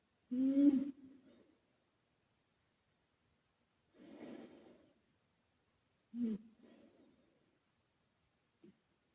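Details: Karumo, a sleeping male British Shorthair and former rescue cat, snores with an echo effect added: three breathy, low rumbling snores about two and a half seconds apart, each trailing into a fading echo, then a faint click.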